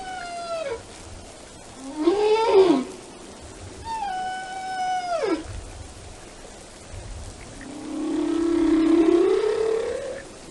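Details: Whale singing in a relaxing atmosphere: long tonal moans with rich harmonics, a falling wail, a short rising swoop, another long descending moan, then a slow rising drawn-out tone at the end, over a quiet underwater hiss.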